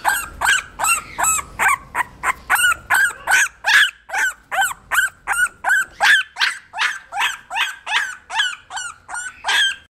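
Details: A 17-day-old English bulldog puppy, a female, making a steady series of high, yelping whimper calls, roughly two or three per second, each with a rising-then-falling tone, continuing without pause throughout.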